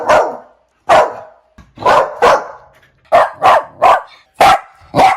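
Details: Dog barking in sharp, sudden barks, singly and in quick pairs and triples, about nine barks in five seconds with short pauses between groups.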